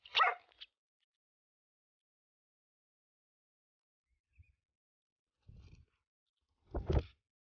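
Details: Rough Collie named Keke, kept as a herding dog, being urged on while working outdoors: a sharp bark at the start, a long quiet stretch with faint low thuds, then a second bark near the end.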